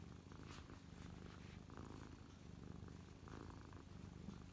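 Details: Contented house cat parked on its owner's lap, purring up close after a burst of feather hunting; low, throbbing purr sustained throughout with regular in-and-out pulses and light handling noise.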